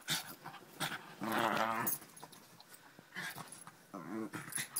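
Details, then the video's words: Pet dog growling while rolling around on a bed indoors: a harmonic, vibrating growl about 1.2 to 1.9 seconds, another shorter growl near four seconds, with rustling in between. "Newtie's growls"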